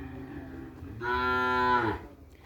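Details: A Madura cattle breeding bull for kerapan sapi bull racing, brought from Sapudi Island, gives one loud, drawn-out harmonic moo lasting about a second, steady then falling at the end, over a quiet farmyard background.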